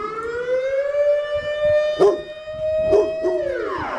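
A Rottweiler's long, drawn-out howl that slides upward, holds steady, then drops away at the end.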